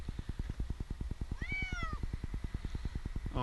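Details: Jinx, an 8-month-old male kitten stranded for two nights in a tree in Newark, Ohio, during his rescue, gives one clear meow that rises then slides down, over a steady low rhythmic engine throb and a man's coaxing voice.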